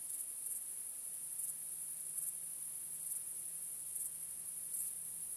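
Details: Nighttime crickets produce an unbroken high-pitched ringing with occasional brighter chirps spaced about a second apart, over a faint, steady low hum.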